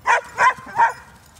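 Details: One of two Hungarian Vizslas running in Stewart Park, Middlesbrough, gives three short, loud, evenly spaced barks about a third of a second apart, then quiet.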